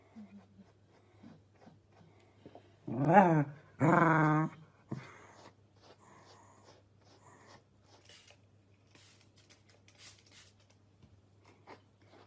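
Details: Pembroke Welsh Corgi puppies indoors: a loud, wavering, harmonic growl-howl of about a second and a half, followed by a short bark-like burst, with quiet room noise and a steady low hum.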